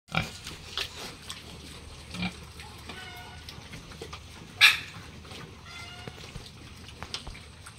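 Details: Piglets on a local pig farm with Hampshire, F1, British Landrace and Yorkshire pigs: short harmonic squeals around three and six seconds, scattered clicks and knocks, and a loud sharp bang near the middle over steady barn hum.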